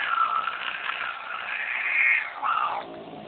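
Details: Female house cat, angry as she does each time visitors come over, giving a drawn-out moaning growl-yowl that wavers up and down in pitch, swells, then dips and fades near the end.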